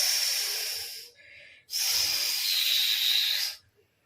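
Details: Indian cobra standing in hooded position, recorded in India, giving a warning hiss meaning danger, do not come near. Two loud breathy hisses, the first about one second, then a short pause and a longer hiss of nearly two seconds.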